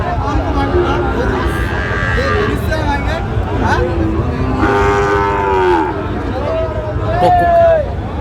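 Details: Lowing from Sahiwal bull calves at a busy Sylhet cattle market, 26 September 2025: several overlapping wavering moos, one rising and falling near the end, mixed with constant human voices and passing vehicle noise.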